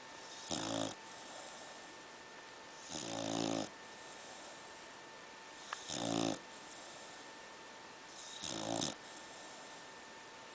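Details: Pit bull snoring in its sleep indoors, four harsh, rattling snores with a few quieter breaths between, spaced about two and a half to three seconds apart over a constant background hum.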